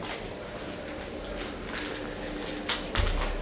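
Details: Quiet indoor background hiss with soft rustling and a couple of light knocks near the end, and no animal calls heard.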